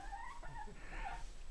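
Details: House cat in Poland, said to be preparing to attack, gives brief wavering tonal mews indoors amid quiet room noise and nearby voices.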